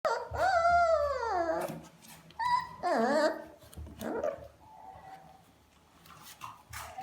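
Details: Puppies: high, wavering whines that rise and then fall in long arcs, two or three in quick succession, followed by softer whimpers and faint background noise.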